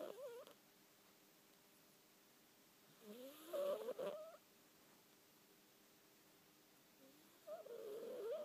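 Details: Sleeping house cat named Betty making odd snoring noises: brief squeaky, upward-sliding whines in separate bouts several seconds apart, with a crackly, breathy burst in the middle and hush between them.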